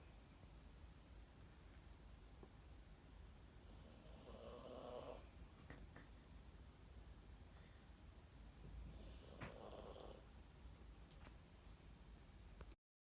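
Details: Sixteen-year-old senior Toy Poodle asleep with its head on an owner's arm, snoring softly: two breathy, rasping snores about five seconds apart over low steady room hum.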